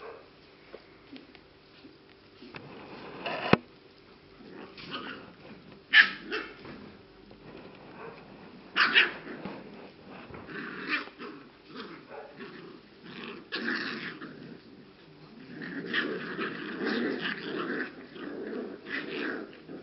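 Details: English Cocker Spaniel puppies aged 6 and 7 weeks give scattered high yips and small barks amid shuffling noises.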